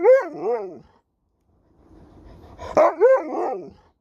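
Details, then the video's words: An Alaskan Malamute talks back as its owner speaks, producing wavering, yodel-like woo-woo vocalizations: one ending at the start, then after a quiet gap with faint rustling, another rising and falling drawn-out call. "Dog won't let me Finish a Sentence without Talking Back!"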